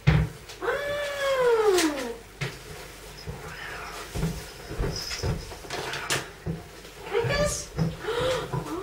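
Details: A hungry female pet cat wanting her food gives one long, loud meow that rises and then falls over about a second and a half, followed later by two short meows, with a person talking to her indoors.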